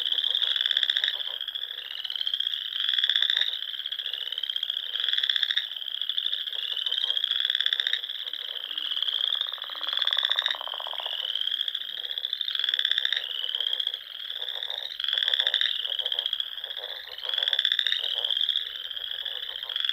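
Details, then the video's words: Chorus of frogs at dusk on a Sandhills pond in Nebraska during spring, high continuous trilling with rhythmic pulsed outbursts roughly every two seconds and a brief lower buzzing swell midway. "RELAXING SOUNDS OF FROGS"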